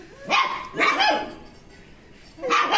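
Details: German Shepherds barking: three short, harsh barks, two close together near the start and a third after a pause, each a brief broadband burst with falling tones.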